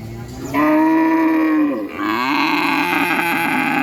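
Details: Cow mooing: one long, loud, steady low moo with rich harmonics lasting over a second, then a second rougher, wavering moo that trails on to the end.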